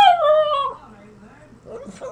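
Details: Small pet dog in a playful 'talking' attempt that almost sounds like 'I love you': a drawn-out, falling, whining howl lasting under a second, then quieter yips, with people laughing and clapping nearby.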